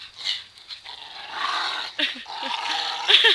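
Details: Two pet dogs playing and fighting over a rope indoors; rough, breathy growls and snarls rise and fall, with short yelping bursts near the end and a man's voice briefly heard.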